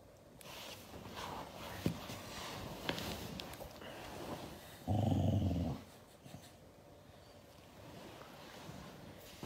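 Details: Siberian Husky growling in anger at being hugged: one low, rough, rumbling growl lasting under a second midway through, surrounded by soft rustling and quiet handling sounds.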